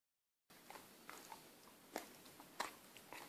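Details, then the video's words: Six-month-old female Akita puppy struggling to chew a sticky toffee chocolate eclair, calming then going frantic again; faint, irregular sticky clicks and smacks roughly every half second, with a brief spoken remark afterward. "Dog trying to chew sticky toffee"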